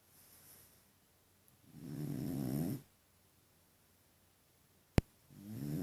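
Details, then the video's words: Deni, a French Bulldog, snores amusingly: a low, gravelly snore lasting about a second, a soft breath earlier, a sharp click, then another snore beginning at the end. "Французский бульдог Дени, прикольно храпит"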